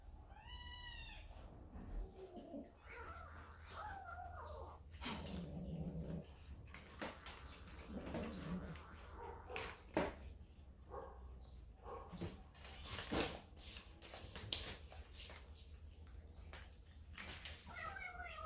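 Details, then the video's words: Yard-kept kitten frightened by another cat at a doorway, watched by a set-up camera; opens with a series of rising-falling harmonic meows, then rustling, thumps and scattered clicks, with a steady low hum throughout and a final upward call. "아기 고양이에겐 너무 무서운 고양이"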